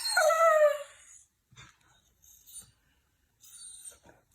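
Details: Dog from a humorous compilation of pets that seem to talk: one high, bright whine sliding downward over about a second, then near silence broken by small faint rustles and clicks.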